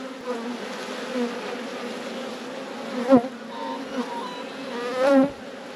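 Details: Honey bee colony buzzing in a managed apiary during a beekeeper's hive inspection: a steady, low droning hum with an even overtone above it, broken by a few brief louder passes of single bees near the recorder.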